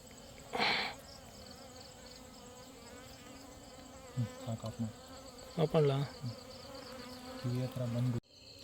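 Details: Honey bees searching in the dark at night, with flashlight turned off; low droning buzzes with stacked harmonics in short bursts of about half a second to one second, over a steady hiss, with a faint noise at the start.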